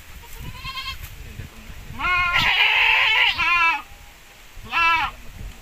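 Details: Javanese x Boer crossbred goats on a breeding farm: loud trembling bleats, a long overlapping chorus of quavering cries in the middle, followed by a short bleat, with some voices nearby.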